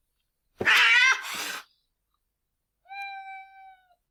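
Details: Two domestic cats fighting give a harsh, noisy snarl during body contact, then hiss as the distance grows. After a pause comes a steady, tonal wailing howl.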